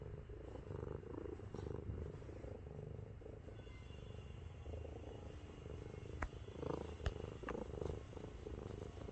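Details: Affectionate 7.5 kg domestic cat Miru purrs while lying on a person's belly, a tank-like rumble. The purring is a low, pulsing, continuous drone, joined near the end by a few sharp clicks or taps.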